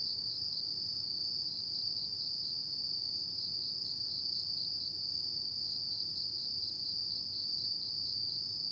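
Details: Autumn night insects chirping, a steady continuous high-pitched trill held without pause throughout, with several faint finer bands above it and a low background hum.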